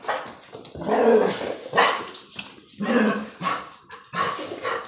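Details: Play barking while a Presa dane mix and kangal bloodhound mix pup pester an older lurcher terrier mix: five loud, harsh barks spaced about a second apart, each a broad noisy burst.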